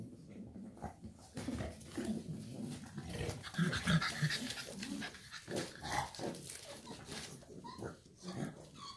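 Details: Shar Pei mother beside her puppies, rapid low panting and soft growly breaths, irregular and continuous, with brief higher squeaks and rustling.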